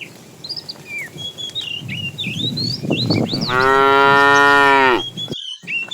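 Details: Herd of tame cows walking neatly along a road, roaming in search of food; one cow gives a single long, steady, rich-toned moo lasting about a second and a half after low rumbling, with small birds chirping throughout.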